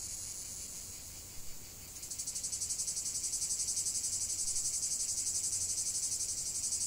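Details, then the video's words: Cicada chorus that starts softer and smoother, then after two seconds rises into a louder, strongly pulsing high-pitched buzz beating roughly four times a second. "45 min de chant des cigales"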